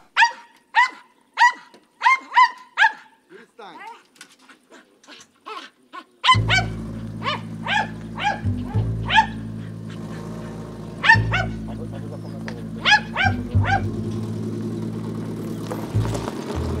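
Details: A dog in a war-damaged Ukrainian village near Maksymivka barks in sharp, repeated yaps, several each second, with music rising underneath partway through.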